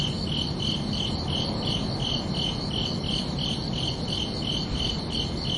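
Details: Crickets at night sounding a regular, high, pulsing chirp, around sixteen beats at close to three a second, steady in loudness, over a gentle constant low-frequency hum.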